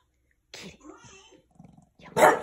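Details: A male French Bulldog barks at an old oven that is about to be cleaned, giving one loud, sharp bark after a person speaks softly to it.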